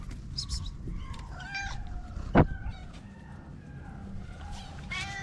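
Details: Meows from a white mother cat with her four little kittens; several short, faint, thin meows scattered through the scene, a loud thump in the middle, and a low rumbling background throughout.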